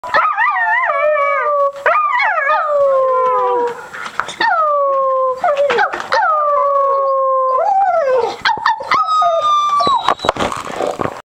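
A Cocker Spaniel howls in long, wavering tones that slide downward, with a person howling along.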